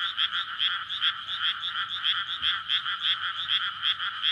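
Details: Courting frogs calling at night in a flooded May rice paddy by a residential area, recorded with a Sony PCM-D100 recorder; loud pulsing croaks repeat roughly two to three times a second, irregular and overlapping, dominating throughout.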